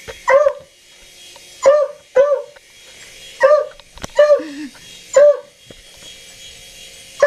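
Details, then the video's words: Dog barking at a passing helicopter: about seven sharp, high, ringing barks at irregular intervals of roughly one second, plus one lower whine-like yelp midway. "Dog Barks 4 Helicopter"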